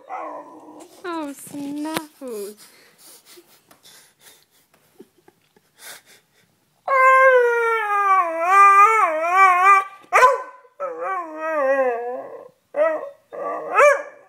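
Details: Beagle whining because it wants to come up onto the bed: wavering, drawn-out nasal whines that rise and fall, plus short yelping squeals and brief breaks, with faint human voice in the opening seconds.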